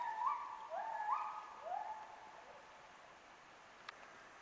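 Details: Captive wolves at Asahiyama Zoo in Hokkaido answer the morning public announcement with howls: several sliding, overlapping tones waver in the first two seconds and then fade, leaving quiet background hiss and a single sharp click.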